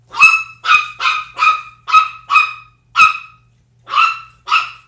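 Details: Pet dogs at play, pitbull Zelda and Chihuahua puppy Sumac, ten weeks old: nine bright, yappy barks with clear ringing overtones, mostly evenly spaced, with two short gaps. Faint background hum.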